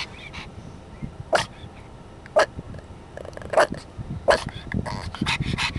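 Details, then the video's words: Bolt, a four-and-a-half-month-old black pug, barking at people at a school: short sharp barks spaced about a second apart, over a busy background of rustling and clatter. "My Bolty Boy Barking"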